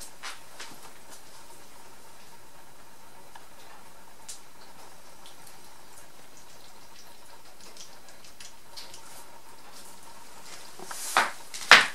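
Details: Quiet indoor room with soft drips and small clicks, a faint steady hum, and a few sharp clattering knocks near the end; no animal voice is heard.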